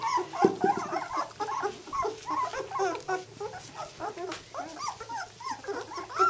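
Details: Fortnight-old White German Shepherd pups of Jelly's litter beginning to walk. A steady tumble of soft, rising-and-falling whimpers and squeaks comes from several puppies at once, with a couple of sharper yips near the start.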